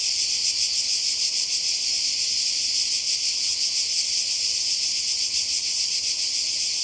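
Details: Cicadas calling in summer by the sea in Croatia, a dense, unbroken high buzzing chorus with a faint pulsing shimmer, steady in loudness throughout; no other clear sounds stand out.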